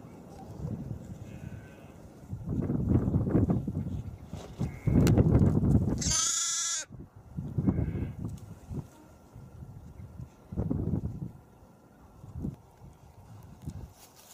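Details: Young lambs being playful, hopping and running about; one loud, high, harmonic bleat near the middle stands out among lower, rough, rumbling bursts and background noise.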